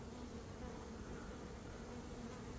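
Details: Swarming honey bees drone in a continuous low buzz while beekeepers prepare to shake them into a box in early May, after a dearth.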